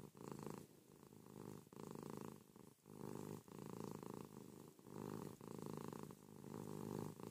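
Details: Pet cat Ruby cuddled up in bed with her owner one morning, purring loudly; a continuous low rumble pulses in long and short phases with each breath, sometimes breaking off for a moment before resuming.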